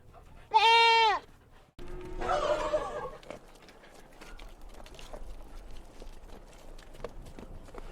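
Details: Baby goats on a mountainside farm: one loud, clear, vibrato bleat, then a rougher, hoarser bleat, followed by several seconds of low rustling farm background.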